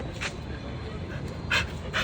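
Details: Siberian Husky. A Siberian Husky makes a breathy, pant-like puff, then two quick whining yelps close together near the end. A steady low rumble of background noise runs underneath.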